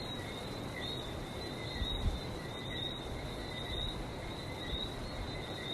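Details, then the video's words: Frogs in Barbados calling together, many overlapping short whistled chirps running without pause, heard over a deep, rolling wash of sea noise that swells briefly near the middle. "Relaxing sounds of #Barbados #frog"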